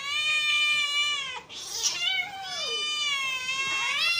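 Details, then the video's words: A hungry domestic cat calls with long, steady, high-pitched meows, one drawn-out cry broken by a brief nasal squeal before a second sustained, slightly wavering meow. "hungry cat sounds"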